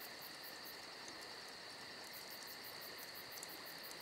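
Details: Crickets on a summer night: a steady, dense chorus of high trilling with a faint rapid pulsing on top, continuous throughout, with a few soft crackles from a campfire underneath.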